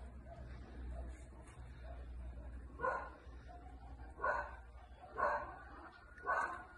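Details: Labrador Retriever puppy, 23 weeks old, barking: four short, gruff barks spaced about one to one and a half seconds apart after a quiet start, over a low steady background rumble.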